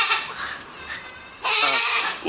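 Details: Goat call heard as a faint, breathy bleat early on, followed by a loud, nasal, quavering bleat in the second half, with light background hiss.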